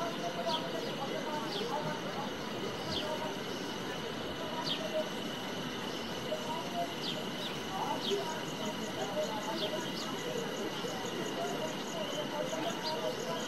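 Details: Cicada in Himachal Pradesh, India: a steady, high-pitched, unbroken drone holding one tone throughout, with a fainter higher overtone. Short bird chirps are scattered over a rustling background.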